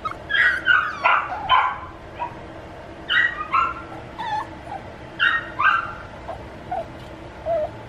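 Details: Male puppy giving high, whining yips and whimpers in short bursts, mostly paired, with brief pauses between groups over a quiet indoor background.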